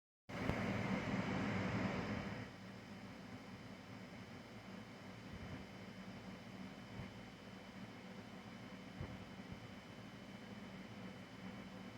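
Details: Loud mechanical humming from an air-conditioning dehumidifier that quiets after two seconds into a steady drone, with no animal sound.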